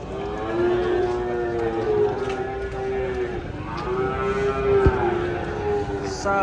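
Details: Huge cattle coming off a truck to be weighed in the morning: a long, steady, harmonic moo, then a second drawn-out moo after a short break, over low background rumble.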